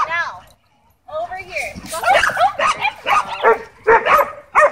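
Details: Dogs at a dog park, tension running high after several were kept on leash inside, heard as sharp harmonic yelps and rapid barks in a burst of about three seconds, with a short whine at the start.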